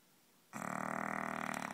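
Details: Loud snore from a sleeping male English bulldog: after half a second of quiet, a sudden harsh, buzzing, rapidly pulsed rasp that holds steady to the end.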